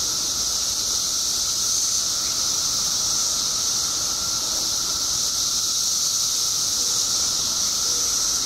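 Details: Periodical cicadas emerging en masse in Illinois after 17 years below ground produce a relentless high-pitched hiss layered over a steady mid-pitched drone, without pauses.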